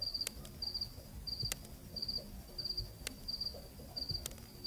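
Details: A cricket at night in Zambia gives steady, high, three-pulsed chirps, repeated about every two-thirds of a second.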